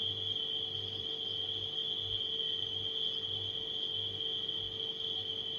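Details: Crickets at night keep up a continuous shrill, even buzz without pauses, while a refrigerator hums steadily underneath and soft low pulses come and go.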